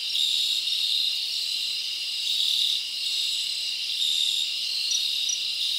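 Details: At night in summer woodland, a mass of crickets keeps up a piercing, even trill, with a few brighter chirps standing out and gentle rises and dips in volume.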